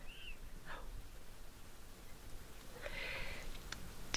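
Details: A black-tailed prairie dog in a prairie dog town among grassy hills at Wind Cave National Park gives short, high yips as an alarm call, warning others of an intruder, a nearby person.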